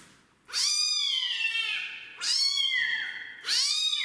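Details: Rescued kitten at its first bath, not wanting to be showered, gives three loud, drawn-out meows spaced about a second apart, each rising sharply then sliding down.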